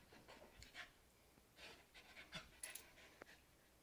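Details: Stella, an Australian Cattle Dog and Beagle mix, right after another bath, panting in quick soft breathy bursts, irregular huffs spread through a few seconds indoors.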